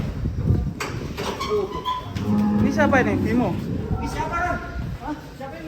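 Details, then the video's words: Giant, fat cattle raging while being fed and weighed; a low, steady drawn-out moo rises above overlapping human voices and handling noise. "SAPI UNIK RAKSASA NGAMUK DI KASIH MAKAN DAN DI TIMBANG"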